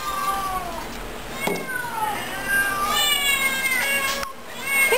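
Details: Several overweight cats in a shelter room for full-figured cats meow at feeding time: overlapping wavering and falling meows, some rising then dropping, one after another, with a woman's voice and brief clatter.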